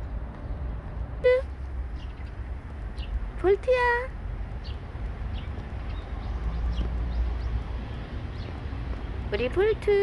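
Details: Outdoor recording of Bolt, a stray cat, with three meows: a brief one early, a rising-then-flat call in the middle, and a wavering one at the end, against low traffic-like rumble and faint chirps.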